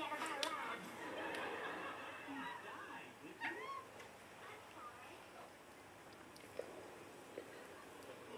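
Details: Tobie, a pet cat staring out the back door at birds on a weekend, gives weird short meows, brief curved chirps rising and falling, amid human speech and faint outdoor sounds.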